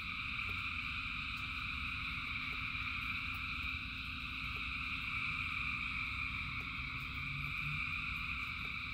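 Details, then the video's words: Frogs calling in rain, thousands together, merge into a continuous shimmering drone of stacked trills that never pauses, with steady rain noise rumbling underneath and scattered faint ticks. "Frogs in Rain 2 Hours of Frogs, Thousands of Frogs Singing"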